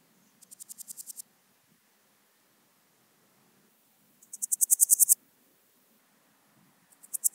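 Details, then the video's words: Swiss gold grasshopper (Podismopsis keisti) at Wildhaus, Switzerland, in October: high, hissing buzzy bursts of about eight rapid pulses each, building in loudness and lasting under a second, separated by gaps of about three seconds. "Podismopsis keisti -- Schweizer Goldschrecke -- Swiss Gold Grasshopper"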